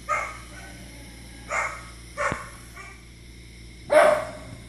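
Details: Pet dog Izzy reacting to dogs on a TV screen with four separate barks spaced over a few seconds, the last the loudest, over a faint constant household hum.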